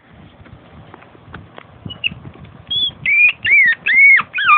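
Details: Female Long Coat Chihuahua born in 2010, filmed at home in everyday life: about three seconds of faint clatter and rustling, then a run of short, high, wavering whines that bend up and down.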